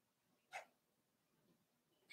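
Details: Four-week-old Cavalier King Charles Spaniel puppy from Daisy's litter in an indoor pen, letting out two short, sharp yips about one and a half seconds apart over a quiet hiss of room noise.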